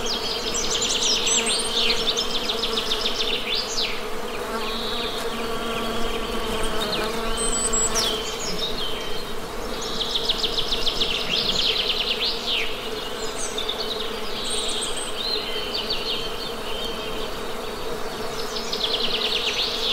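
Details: Honey bees humming in a steady, droning buzz with layered harmonic tones, unbroken throughout, while birds chirp, trill and whistle repeatedly above it.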